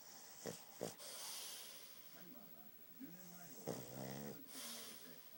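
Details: Pug named Fuuta, flat-nosed and heavy-snoring, asleep indoors; a few short snorty breaths early on, then one loud rattling, buzzy snore lasting under a second, with faint voices in the background.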